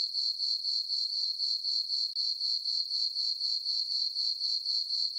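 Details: Moonlit summer meadow on a farm at night, crickets trilling in a piercing, evenly pulsed rhythm near four beats per second, otherwise quiet.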